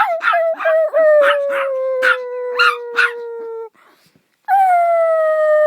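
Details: Dog's long howl slowly descends in pitch beneath a series of short yips. After a brief near-silent gap, a fresh strong howl begins on a slightly falling note.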